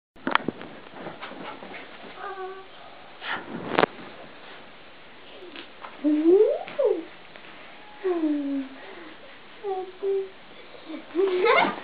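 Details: A Siberian Husky waking its owner in the morning gives soft whines and several drawn-out, wavering howl-like moans, rising and falling, with pauses between them, plus rustling and brief clicks indoors.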